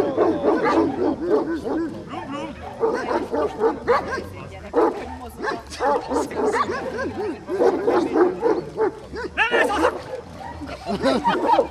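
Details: A Komondor barks during a herding instinct test, with a rapid run of deep, rough woofs about four per second in bursts. People talk and shout in Hungarian over the barking.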